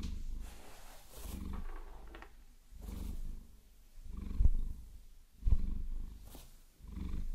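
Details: Maine Coon cat Vasilisa, a pet being massaged and scratched with long nails, purrs in low throbbing pulses that swell and fade about once a second. Sharp tapping and scratching clicks from the nails are mixed in.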